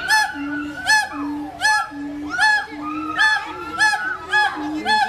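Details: Siamang, a long-armed black tree-dwelling gibbon: loud repeated whooping barks with rising and falling notes, about one burst per second, over a steady low droning boom-like tone.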